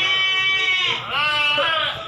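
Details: Breeding does and young goats for sale at a livestock market in Solo, Indonesia, give sustained nasal bleats with a trembling pitch, several overlapping in succession, while market chatter runs underneath.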